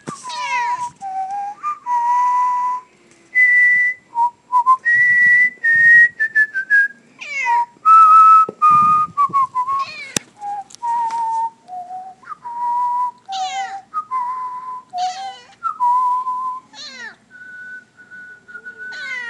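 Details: Female pet cat indoors, meowing along to a person whistling the Star Wars villain theme, perhaps irritated. Several drawn-out, falling, harmonic meows break in between steady whistled notes that dominate throughout.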